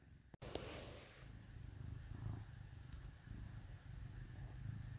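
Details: Domestic cat purring while snuggled up with dogs on a cold winter day in Minnesota; a steady low rumbling purr in soft pulses, with one sharp click near the start and a faint hum behind.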